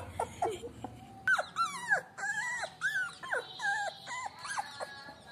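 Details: Very small puppy on its first day at home gives a run of high, wavering whines and yelps, rising then bending down, repeated roughly every half second, with background music and a steady tone.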